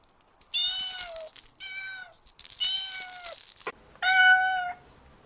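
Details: Four clear meows from kittens chasing butterflies on grass: long, slightly falling nasal cries, the third the longest, separated by brief gaps, with a faint click between calls.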